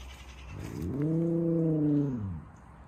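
An Alaskan Malamute gives a single drawn-out, low, arching howl, rising slightly then falling away.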